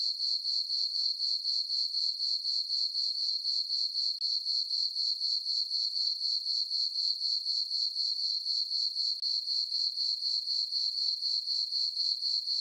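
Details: Summer-night crickets in a moonlit farm meadow produce a bright, rapidly pulsed chirp, about four pulses each second and around fifty in a row, highly regular, with no birds, wind or voices.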